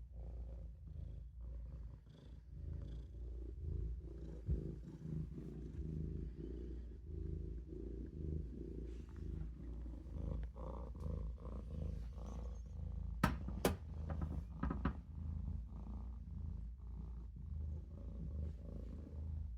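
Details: Low, even purring from a Maine Coon kitten, Olof, asleep in a sink; the rumble runs almost unbroken, and a couple of sharp clicks or taps sound near the end.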